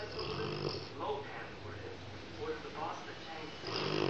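A Rottweiler snores in rough, rumbling breaths, with a human voice talking over it.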